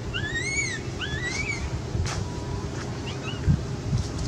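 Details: Quinton, a scared cat begging for milk, lets out two clear bending meows close together, then a fainter short cry, with a persistent deep rumbling noise underneath.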